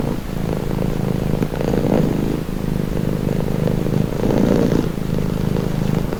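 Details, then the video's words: Steady, deep purr of a cat, presented as calming: a low buzzing rumble rising and falling with each breath, louder pulses near two and four and a half seconds, otherwise quiet. "Purring cat"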